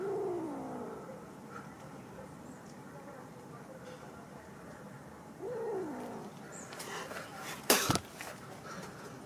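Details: Kitten meowing, probably a stray, with two soft descending mews near the start and another around five seconds, then a sharp clatter near the end against a steady background hum.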